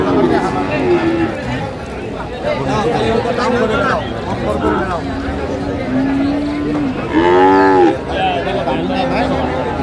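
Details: Heifer calves of Friesian and cross breeds at Raniganj Haat market in Dinajpur, 29 January 2025, give several low moos, one long and level, then a louder harsher bellow near the end, amid market hubbub and talk.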